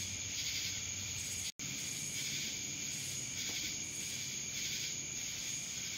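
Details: Cicadas in Dallas, Georgia, drone in a steady, high-pitched buzzing chorus with a faint pulsing shimmer on top.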